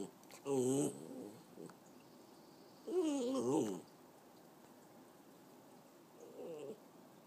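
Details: Italian Greyhound Chihuahua mix, a 3-year-old female pet dog, making silly noises indoors: two wavering, warbling whines with wobbling pitch, then a fainter one near the end, with quiet room noise between.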